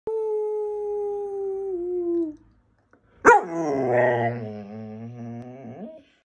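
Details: Female Bernese Mountain Dog answering during a lesson in rules. A steady, evenly held tone sounds first, then stops. After a short pause the dog gives a long wavering howl of about three seconds that dips slightly at its end.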